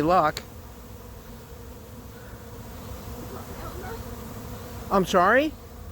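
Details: Honey bee swarm moving in late in the season to an empty hive; two brief buzzing fly-bys, one at the very start and one near the end, each sweeping in pitch, separated by a faint steady hum.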